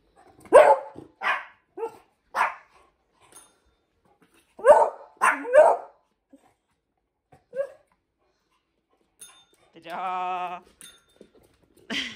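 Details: Indoors, Hendo the 10-month-old Pomeranian or Salto the beagle barks in short bursts, about eight sharp barks spread over twelve seconds, with a bell ringing briefly near the end as the dogs learn to use it.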